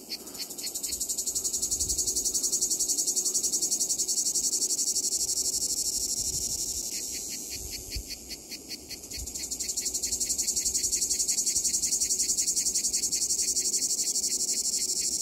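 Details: Two cicada species, Lyristes plebejus and Cicada orni, sing together on the same white poplar at Donzère, Drôme: a continuous high hiss overlaid with rapid, regularly pulsed ticking phrases.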